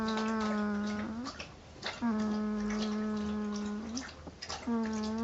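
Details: Ten-day-old female Northern Inuit puppy snoring in her sleep indoors: a steady, nasal, whistling tone held for about a second, recurring roughly every two seconds with a slight upward bend at each end.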